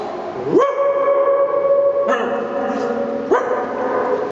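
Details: Three loud barks from a dog in an echoing tunnel near Twickel Castle after swimming, each one ringing on as a sustained, tonal reverberation until the next bark cuts in about every one and a half seconds.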